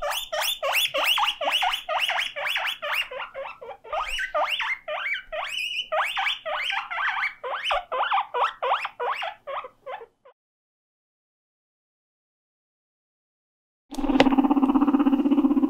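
A guinea pig wheeks in rapid, repeated squeals, calling out because it dislikes being alone.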